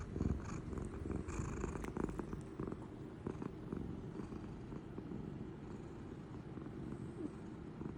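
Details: Sleeping pet cat Toranosuke snores beside its companion cat Mego, giving a continuous deep, buzzy rumble that barely changes in loudness, slightly stronger in the opening seconds, with small rustling ticks over it.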